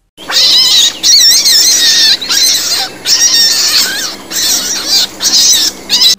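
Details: A dwarf lop rabbit's distress scream, loud, shrill and wavering, in rapid bursts of about a second with short gaps. The cry comes when a rabbit is seized by a predator or badly trapped, and is cause for alarm.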